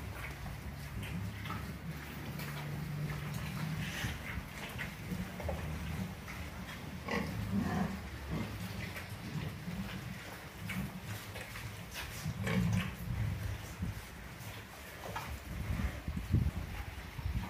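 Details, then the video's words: F1 crossbred pigs raised for breeding sows at Orobó, Pernambuco, Brazil, grunting low and repeatedly through a steady background hum, with occasional sharper clicks and short knocks across the stretch. "Suíno F1 Para Matrizes em Orobó-PE"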